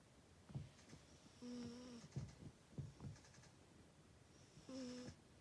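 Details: Sleeping cat snoring: soft, low breathy bursts about every half second to second, with two longer whistling nasal tones near the middle and the end, in a quiet room.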